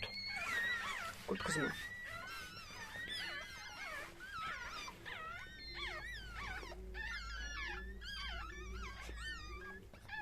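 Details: Chihuahua during a birth indoors, high wavering whines and squeals sliding up and down in quick bursts, several overlapping, with low hum beneath.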